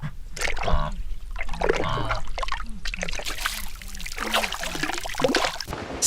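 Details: Water trickles and splashes throughout while a man speaks over it. No animal call can be picked out.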